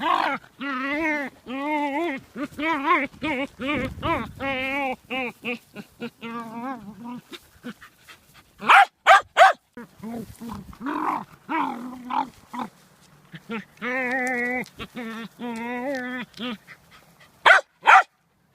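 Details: Excited vocalizing from a dancing dog that tries to eat stones: long stretches of wavering, harmonic yowls and whines in rapid bursts, broken by a few loud, sharp barks near the middle and the end.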